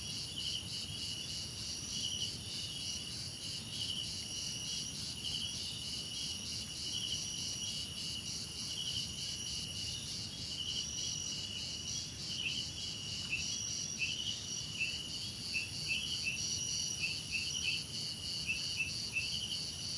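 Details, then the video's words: Crickets in a relaxing nature soundscape. A dense, steady insect chorus forms continuous high bands with pulsing trills, and short dipping chirps join in the second half over a soft, even background hiss. "Relaxing Cricket Sounds"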